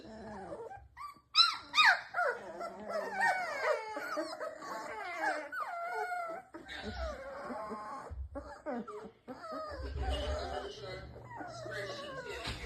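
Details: Presa Canario puppies whimper and coo in soft, wavering, overlapping cries as they settle to sleep; the owner thinks they may be cold.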